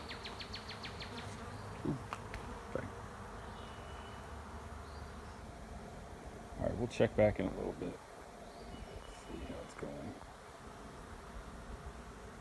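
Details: Honey bees swarming into an empty hive sitting in a driveway: an even, low-pitched hum runs through, broken by a sharp rapid ticking at the start and loud knocks and bumps in the middle.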